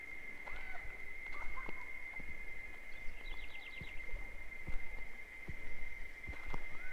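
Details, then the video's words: Cicadas singing in the wild in the sertão of Bahia, Brazil: a steady, unbroken high pure whine held for the whole stretch, while birds add scattered chirps, short whistled notes and a quick rattling trill midway. "Tempo De Cigarras - Cigarra Cantando"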